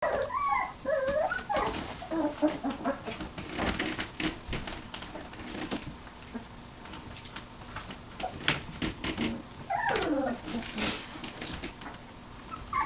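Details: Nineteen-day-old puppies whimpering in thin, wavering squeaks, with a cluster at the start and another near the end, over frequent clicks and shuffling handling noise.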